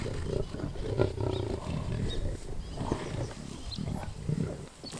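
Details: Lions killing a wildebeest in and around Kruger National Park, South Africa, filmed on a game drive; deep low rumbling growls and roars with bursts of snarling, steady low-pitched grumbles throughout.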